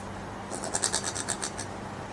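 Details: Strange noises from a brushtail possum filmed in Queensland, Australia: a burst of roughly nine rasping, evenly spaced pulses lasting about a second, softer than the surroundings suggest, over a low continuous hum.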